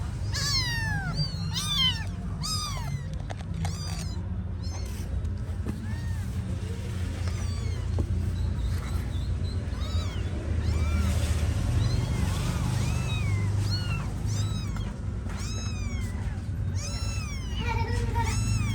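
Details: Several kittens mewing repeatedly, with many short high falling meows clustered at the start and end, over steady low-pitched background noise.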